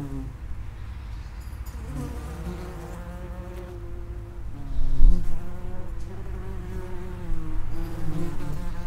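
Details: Buzzing of common wasps at an underground nest entrance, a deep continuous hum layered with sliding harmonic drones, growing louder about halfway through as wasps pass close by.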